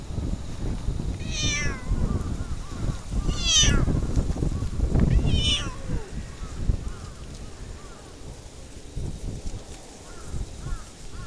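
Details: Stray orange tabby cat approached in a park, giving three clear, drawn-out meows with bright wavering harmonics, about two seconds apart, over steady low outdoor rumble and scuffing.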